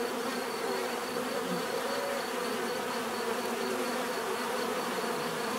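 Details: Bees buzzing steadily, a dense continuous hum of many insects with shifting drone tones and no pauses, offered as natural sound for relaxation and sleep.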